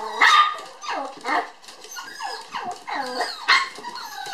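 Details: Lively toy poodle puppies, sisters born 9 July, playing at a breeder in Kyoto: a loud yap followed by a string of short sliding yips and squeaky whines, closing with one more bark.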